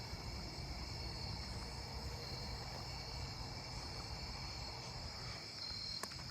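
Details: A broad-winged tree cricket sings a steady, unbroken trill at night in a neighbourhood field with trees, over the low rumble of traffic.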